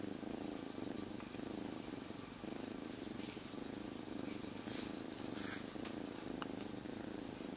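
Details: Rescued kitten, a stray until three days earlier, purring loudly and nonstop while held quietly inside its rescuer's jacket; steady low rumbling throb with fine rapid pulsing, a few faint clicks and rustles above.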